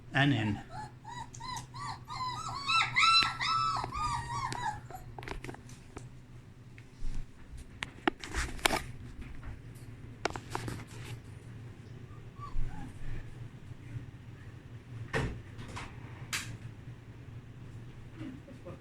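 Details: Young puppies exploring their whelping box after fresh blankets go in: a burst of rapid, high, arching whimpers repeated several times a second for about five seconds, then quieter shuffling, taps and soft room noise.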